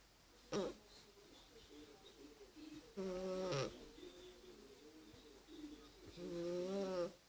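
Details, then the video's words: Cat asleep and snoring, with a brief snort followed by longer buzzy, nasal breaths that rise slightly at the end, irregularly spaced, in a quiet room. "50 shades of snoring Cats"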